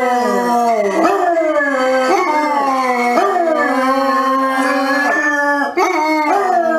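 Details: Basset hound in a funny compilation giving sustained, wavering howls, pitch dipping and rising in drawn-out notes that restart about once a second, loud and continuous throughout.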